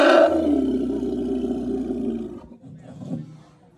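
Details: Elephant in Surin, Thailand, described as hungry and sleepy; a loud, harmonic, roaring trumpet lasting about two and a half seconds that slowly fades, followed by a softer low rumble.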